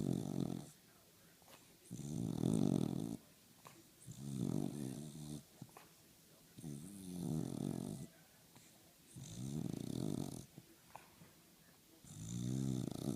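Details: Sugar, a dog, asleep and chilling on the couch on a snowy Saturday, snoring in slow rhythmic rasping breaths, each snore lasting about a second and recurring roughly every two seconds, with soft hiss between them.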